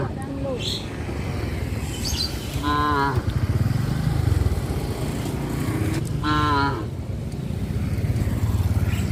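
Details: Tame cows roaming a highway near a traditional village farm: two short, bright, harmonic moos about three and a half seconds apart over a steady low rumble of passing motorcycles and traffic.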